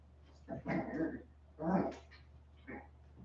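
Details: West Highland White Terrier puppies, 47 days old, indoors after an outdoor break: two short bursts of whiny, yelping puppy cries with a softer third whimper near the end, over a low steady hum.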